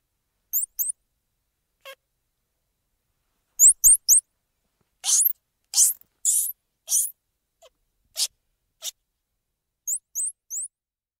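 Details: Squirrel monkey vocalizing: thin, very high upward-flicking chirps in pairs and threes, mixed with a run of harsher, noisy chattering bursts in the middle, then a closing set of high rising chirps.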